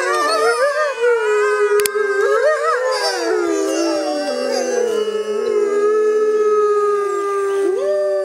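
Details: Several grey wolves howling together in the wild jungle under a full moon, overlapping long wavering tones sliding up and down, voices crossing and weaving continuously throughout with no pauses.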